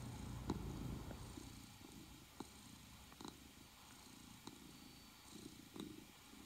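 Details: A Norwegian Forest Cat named Moss purrs in a low, steady rumble with soft rhythmic pulses.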